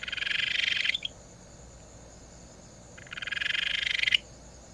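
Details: Two bright, rapid pulsed trills from a Ryukyu Kajika frog, Amami's most familiar frog, each lasting about a second and growing louder toward its end, separated by two seconds of quiet low hum.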